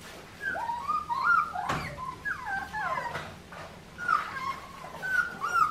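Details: Australian Shepherd puppies from Clementine's litter at an Oklahoma breeding farm whimper and whine in high, wavering, sliding tones. The cries come in short bursts with brief gaps between them, over a low background murmur.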